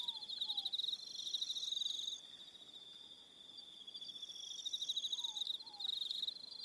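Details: Evening crickets on Aroha Island, New Zealand: a dense high trilling band of pulsed chirps, with several callers overlapping in bursts, and faint soft descending whistled notes twice low beneath.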